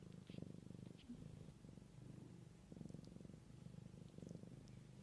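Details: Low, continuous purring from a mother cat caring for her kittens in nature, a deep rhythmic rumble pulsing evenly throughout with a few faint high squeaks.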